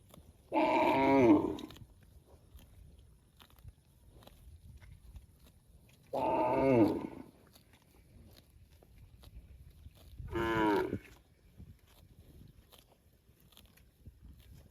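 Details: Cow mooing to call its extended family: three strong, hoarse harmonic bellows, each around a second long, separated by pauses of four to five seconds, the last slightly higher and wavering, over a low steady background hum.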